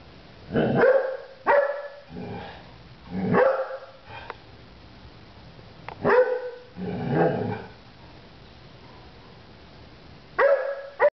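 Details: A Golden Retriever gives short, loud barks with pauses between them, trying to get others to play during their morning nap time, but no one plays.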